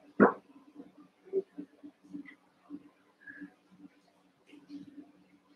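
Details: Cavalier King Charles Spaniel puppies at play in an indoor pen, eight littermates wrestling; a single sharp bark opens, followed by soft grunts, faint squeaks and pattering movement over a constant low hum.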